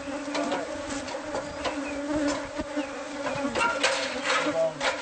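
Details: Bees from a hive hidden inside the walls of a newly bought house, heard during removal: a steady low droning hum with scattered clicks and knocks from the work.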